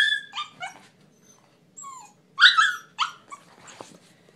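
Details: A Siberian Husky howls "happy birthday," giving a run of short, whiny, yodelling howls that swoop up and down in pitch.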